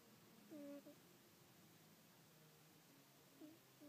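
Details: Little pet cat asleep and snoring, giving a brief whistly nasal tone that dips and levels off, then a fainter repeat a few seconds later in a quiet room.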